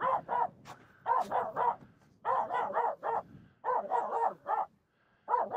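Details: Aamu, a Finnish Spitz, keeps barking at two nearby reindeer while crossing snow on the climb up Mulen; rapid barks come in bursts of three to five with brief gaps, about 42 barks a minute.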